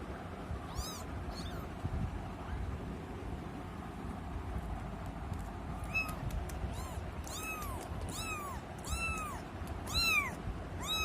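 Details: Kitten mewing: a few faint meows at first, then from about six seconds a run of loud, arching, rise-and-fall meows about once a second, over a steady low rumbling background.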